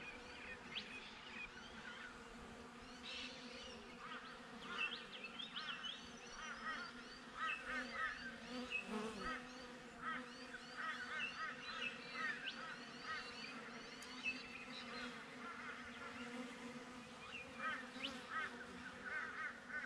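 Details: Honey bees humming around a beehive, filmed on a GoPro: a dense, even buzz with steady tonal bands, joined by busy twittering birds in the background.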